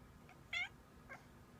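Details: A house cat howling like a puppy: a faint short cry, then a loud, bright, harmonic-rich wail, then a softer, lower one, each under a quarter second, over quiet room hum.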